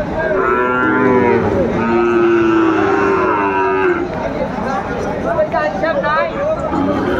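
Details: A Sahiwal bull calf at a busy Pabna livestock market, 30 June 2024, lows in long harmonic moos lasting over a second each, with further calls in the background. Men haggle over prices amid a constant crowd murmur.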